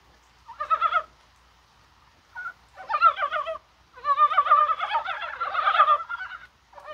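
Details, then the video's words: Several Dybowski's brown frogs croak in rain on 21 January, a spring-like day, apparently spawning; rough, quavering notes start singly and then build into a dense, overlapping run of croaks. "개구리가 울어요"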